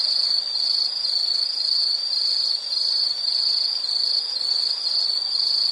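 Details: Insect call as a bright, high, pulsing trill repeating close to twice a second, constant and uninterrupted, with nothing else clearly heard.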